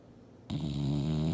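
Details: Sleeping English Bulldog Mildred on the couch: after a brief hush, one sudden low droning snore begins and holds steady, rough and nasal.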